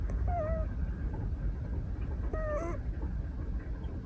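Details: Female Scottish Fold kitten, 173 days old, napping in a person's arms at a desk on 12 December 2023 and snoring loudly; two short squeaky, whistling tones about two seconds apart over a steady low rumble.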